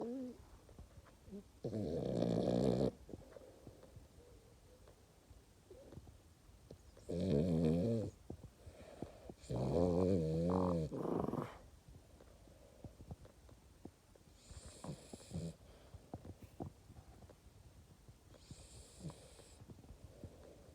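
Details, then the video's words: Sleeping French Bulldog snoring indoors: three loud, rattling, buzzy snores about four seconds apart, the last one doubled, followed by softer hissing breaths. "Храп собаки"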